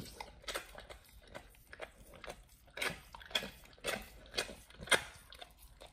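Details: Pit Bull nomyen chewing raw whole Thai duck on a raw-feeding diet, first time eating it. Softer chewing at first, building to several loud crisp bone crunches toward the end, in a small indoor room.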